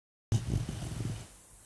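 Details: Four-month-old female Labrador puppy asleep with an earbud in her mouth, giving a short, low rumbling snore that fades into quiet room tone.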